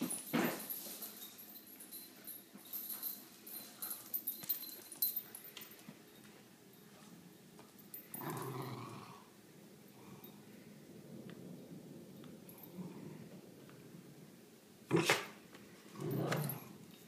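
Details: An Italian Greyhound at play gives a few short, rough barks and growly bursts after a person's commands to let go, sit and stay.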